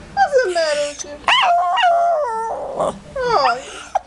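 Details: Complaining pet Shih Tzu before a bath, with quick falling whines, a yip, and a sustained wavering moan, then a final rising and falling whimper, all close and loud indoors.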